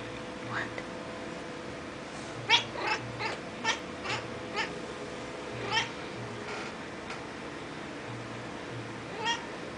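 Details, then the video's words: Female kitten indoors, excitedly watching birds through a window: quiet, rapid clicking chirps in short irregular bursts, a few stronger chirps standing out, over a low steady household hum. "Kitten chattering at birds"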